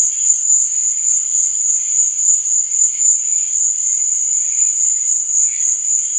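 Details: Crickets at night: a steady, piercing high trill runs unbroken throughout, with softer, lower chirping phrases rising and fading beneath it.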